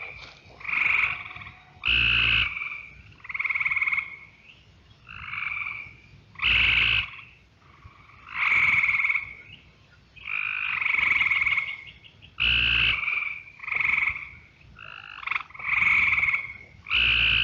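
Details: A Cope's gray treefrog close to the microphone gives loud, harsh, buzzy trills about a second long over a full background chorus of mostly eastern gray treefrogs with a few other Cope's.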